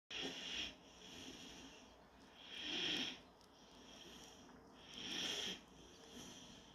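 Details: German Shorthaired Pointer puppy named Panzer during its daily nap, breathing in soft wheezy, whistling snores. Three hissy breaths swell and fade about every two and a half seconds, with quiet room hush between them.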